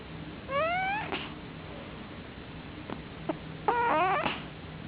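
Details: A male pet cat sleeping in a dark room snores very loudly. A squeaky, upward-sliding whistle is followed by soft clicks, then a second, wavering nasal squeal.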